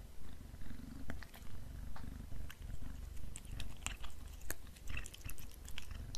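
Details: Black cat snacking on beef treats, with a low, regular purr rising and falling in even pulses and bursts of quick chewing clicks that grow busier toward the end.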